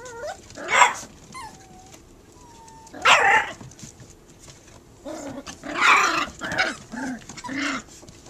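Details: Puppy barking at a cat, three against one: loud broadband barks near one, three and six seconds, with short whines and yelps between them and a thin tonal squeal early on.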